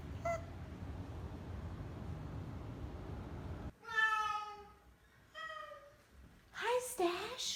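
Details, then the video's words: Oriental Shorthair cats on moving day, their first day brought into a new home, very vocal indoors; a few drawn-out harmonic honking cries, falling slightly in pitch, follow a quieter stretch of room noise. "Honk Alert New House!"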